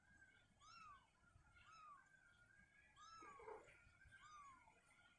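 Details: Domestic kitten indoors, whose mother is moving it out of a cabinet to an open area; four soft arched mews, each rising then falling, repeated roughly once a second over a faint steady hum.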